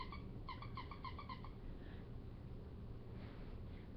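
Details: Great Pyrenees puppy at eight weeks old giving a quick run of about eight short, high, squeaky whimpers over a second and a half, then only a low indoor hum.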